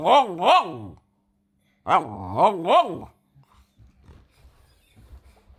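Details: ['A French Bulldog responding to people sneezing. Two bursts of two or three wavering, rise-and-fall grumbly yelps are followed by near silence with faint low rustling.']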